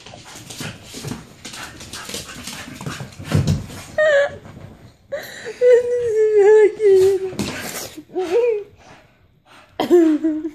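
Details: A Staffordshire Bull Terrier having fun during a playful freakout indoors, giving wavering whining and howling vocalizations with rising and falling pitch, in bursts between short pauses, while people laugh in the background.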